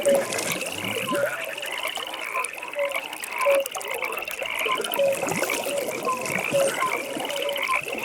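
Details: Nighttime frog pond chorus: brief clipped croaks repeating roughly every second beneath a continuous high pulsing trill, many frogs overlapping, over a soft wash of ambient hiss.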